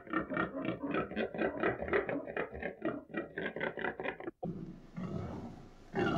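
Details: Pig grunting in a fast, regular pulse of roughly four to five grunts per second for about four seconds, then a brief break and a rougher, noisier stretch of snuffling sound.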